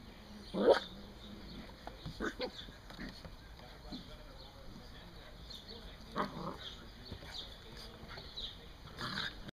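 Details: Standard Poodles pulling a rope between them in tug-of-war play; a sharp bark-like burst near the start, then further short harsh growling yelps around six and nine seconds, with scuffling and low background rumble between.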